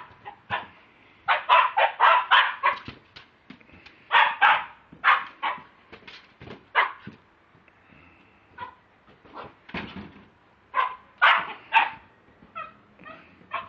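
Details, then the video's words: Lakeland Terrier filmed on a mobile phone, giving bursts of sharp, mid-pitched barks in quick irregular clusters, with short quiet gaps and faint background noise. "my lakeland terrier"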